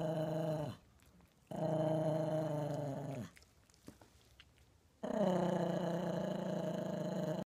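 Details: Chihuahua facing a creepy Easter bunny gives sustained throaty growls, three long rumbling bouts separated by quiet pauses, the last one loud and unbroken.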